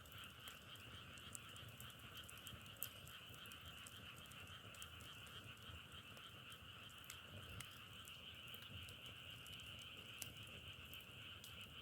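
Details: Many frogs croak as one unbroken, fine-textured trill in two stacked bands, softer than the crackles, with sharp ticking pops spread across the recording.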